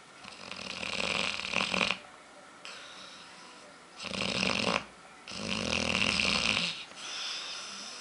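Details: Aila, a female dog also called Lalá, snoring heavily while asleep and dreaming, eyes darting quickly as though running; loud raspy breaths roughly two seconds long, separated by short quiet pauses, four snores in sequence.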